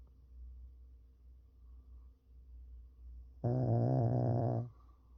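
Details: Dozing Pekingese gives a single low, vibrating snore of just over a second after several seconds of quiet breathing and a faint room hum.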